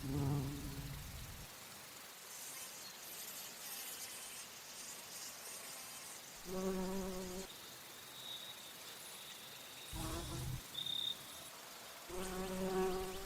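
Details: Bumblebee flying among flowers while feeding on nectar, giving deep, even humming bursts at the start, middle and end, each about a second long; a thin high whine and soft outdoor hiss fill the pauses between.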